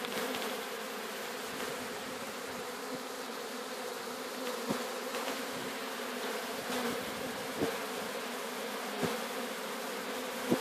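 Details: Sicilian honey bees swarming as they are captured at Sciacca, a continuous hum with a low steady pitch, punctuated by scattered clicks roughly every second or two.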